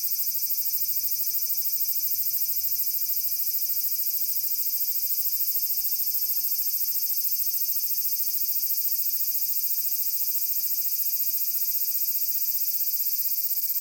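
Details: Large brown cicada in summer at Magarikawa, Furuta, Nishinoomote, Tanegashima, Japan, 30 July 2022: a loud, high, sizzling drone with a fine, rapid pulsing texture, steady in volume for the whole stretch.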